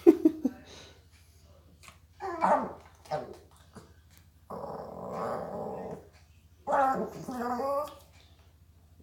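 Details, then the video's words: Indoors, a female dog that never gets enough food begs and "talks": a grumbling, growly yowl, then a long drawn-out moaning whine, then another rising and falling growl-moan, with a person talking briefly between the sounds. "A garbage disposal dog that talks"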